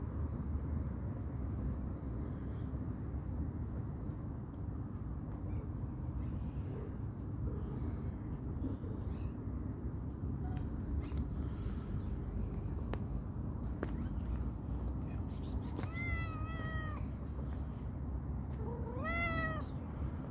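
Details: Calico cat, playful and hungry, gives two clear meows near the end, each rising then falling in a drawn-out, tonal wail, spaced about three seconds apart over a steady low rumble like distant traffic.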